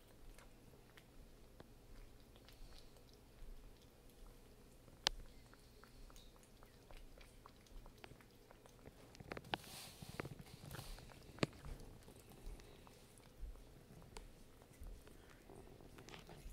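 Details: Rosemary, a pet cat, eating her wet food at lunch: soft, wet chewing and smacking with scattered sharp little clicks, quiet throughout, with a brief louder rustling burst near the middle.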